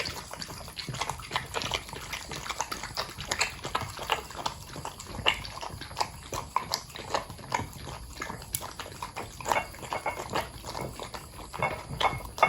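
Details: Long-haired corgi Pudding eating from his bowl, a dense, irregular run of crisp crunching and clicking chews that lasts throughout, with no barking or other voices.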